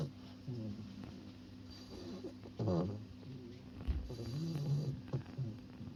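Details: Two-month-old Bulldog puppy named Senbei snoring in its sleep: low rumbling breaths with a rising nasal rasp near the middle, then softer irregular snuffling snores toward the end, indoors with a steady background hum.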